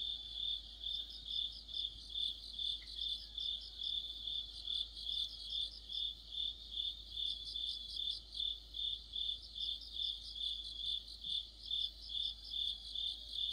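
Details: Autumn insect orchestra led by crickets: rhythmic high-pitched chirps pulsing roughly two to three times a second, with overlapping bursts of even higher trilled notes from other callers and a faint brief click.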